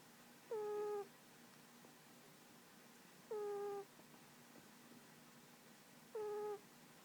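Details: Snoring pet cat Tiger, asleep on a lap indoors: three clear whistly tones, each about half a second long and sliding slightly downward, repeat at a steady breathing rhythm roughly every two and three-quarter seconds over a faint room hum.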